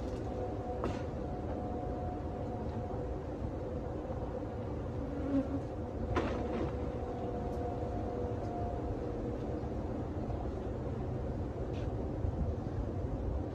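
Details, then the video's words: Honey bees from a live hive built behind a cabinet, being removed, captured and relocated in 2023; a steady low droning hum throughout, with faint sustained tonal bands and occasional sharp knocks from the removal work. "bee removal 2023 ; removing a bee hive behind a cabinet; beez"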